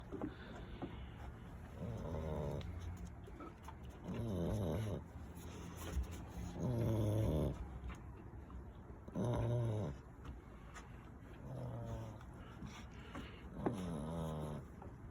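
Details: Eight-week-old American Bully puppy snoring while hanging off a chair after play time, in Minnesota during autumn; low rumbling snores with gravelly rattling texture come in bursts roughly every two to three seconds over a quiet background.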